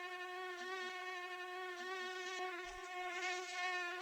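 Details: Whining flight tone of a mosquito, wings beating 300 to 500 times per second: a sustained, buzzy hum with a faint wobble in pitch, heard up close for four seconds with only a few soft low thumps.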